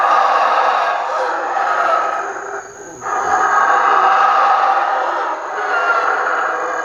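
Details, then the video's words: A howler monkey troop in the nearby canopy of the southern Mexican jungle gives a deep, rasping roar in long, breathy surges, easing off twice for breath before swelling again. The ominous growl can carry for kilometers. "The ominous growl of a howler monkey can carry for kilometers."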